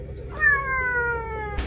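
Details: Kitten giving one long, steady meow that slowly drops slightly in pitch, ending with a soft thump.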